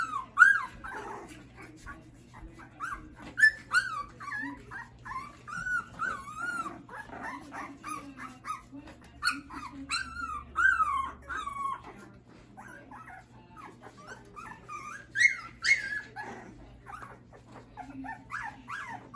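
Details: Schapendoes puppies in a litter, giving a busy chorus of high, wavering whines and squeaks, many overlapping and repeated rapidly, with soft yips and a low steady hum underneath.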